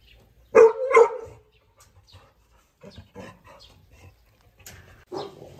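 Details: Pregnant female Rottweiler, 46 days into pregnancy, kept as a house dog and provoked by a rival; two sharp, quick barks, then faint scuffling and softer vocal sounds, ending in a brief bark-like burst.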